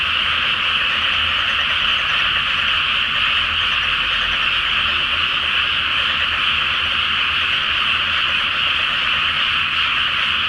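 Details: Night chorus of many frogs in a water-filled paddy awaiting rice planting, full moon overhead; countless voices merge into a continuous, even, high-pitched purring roar that never lets up.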